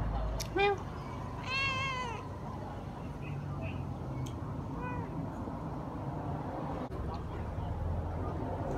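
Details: Cat giving a short meow, then a longer, clearly bending meow, followed by a faint third call, over a steady low background hum.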